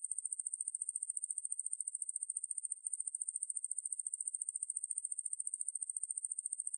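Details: Katydid Ruspolia lineosa, from 2020 National Institute of Biological Resources material, gives a rapid, even, high-pitched pulsing buzz, with one short hitch near three seconds and no background sounds.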